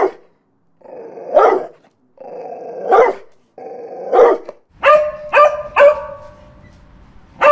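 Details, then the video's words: Growling barks from a dog: three drawn-out growls each ending in a bark, followed by a rapid run of three higher, ringing barks and one more at the end. "Dogs Barking"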